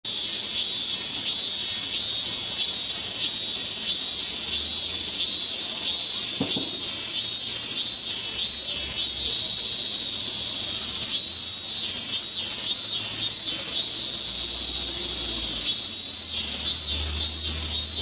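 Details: Minmin cicada (Hyalessa maculaticollis) recorded on 17 August 2016: a dense, steady high buzz, with a series of rapid pulsed bursts sounding near the end, over a constant insect drone.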